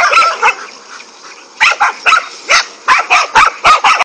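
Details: A pack of five dogs barks angrily at a king cobra, steady harsh barks repeated about four times per second, strongest in the second half.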